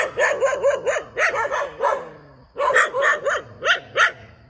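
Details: Next to a rubber plantation, a dog gives rapid, sharp, arched barks. About six come in quick succession, then a short pause, then five more spaced roughly half a second apart.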